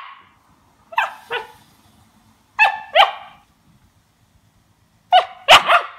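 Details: A 2-month-old Siberian Husky puppy tasting lemon for the first time gives high, harmonic yips in quick pairs, separated by short pauses.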